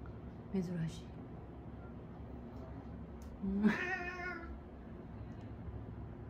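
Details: Domestic cats Mame Daifuku and Hideyoshi squabbling indoors, Mame Daifuku picking the fight; a short low cry near the start, then a longer harmonic meow rising and falling around mid-clip over a quiet hum.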